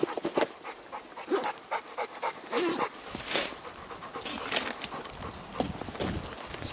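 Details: Rapid, hissing breaths from Deokbae the Labrador Retriever, out walking in a heavy late-March snowfall on a Gangwon Province mountain, Korea. The irregular puffs come in short bursts, with faint outdoor background.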